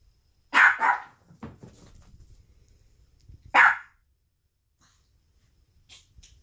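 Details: Household dog barking at a balloon, a rapid pair of barks followed by faint scuffling, then a single loud bark near the four-second mark and a few soft distant noises afterward.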